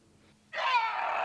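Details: A six-month-old orphaned African elephant calf at Sanbona Wildlife Reserve, Western Cape, South Africa, gives sudden, harsh trumpeting squeals, which are distress calls; his mother had died after falling down a cliff.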